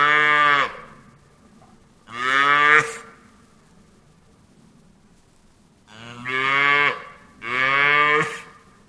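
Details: Cow mooing on a farm: four drawn-out, harmonic-rich moos, each under a second long, in two pairs with a quiet gap of about three seconds between them.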